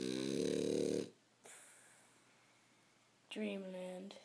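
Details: French Bulldog snoring indoors while asleep: two loud, rough, droning breaths with a low buzzing rattle, the first lasting about a second, the second starting after a quiet pause of roughly two seconds.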